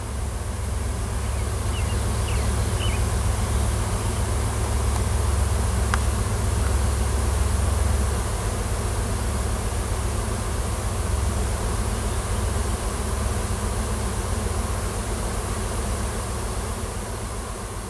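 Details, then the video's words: Swarming wild honey bees cluster in a tree on a Washington farm, a new queen and her workers seeking a new home. A continuous, deep droning buzz holds steady throughout, with a faint rumble of distant traffic beneath. "Swarm of WILD HONEY BEES & NEW QUEEN"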